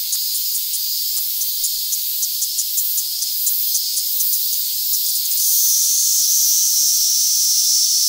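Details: A Kaempfer cicada (Platypleura kaempferi) held in the hand in Tokyo, Japan, on August 3, 2021, sings a high, shrill buzz that pulses at first and then settles into a steady hiss.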